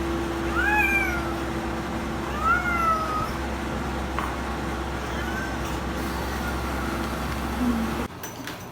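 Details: Domestic cats making odd noises while playing: several short, clear meow-like chirps that rise and fall, spaced a few seconds apart, over a steady low hum, with a brief rustle near the end.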